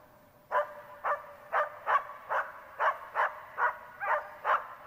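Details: Border Collie named Tara barking during search and rescue training, a steady run of about ten sharp barks, one every half second or so, each with clear harmonic bands, over faint outdoor background.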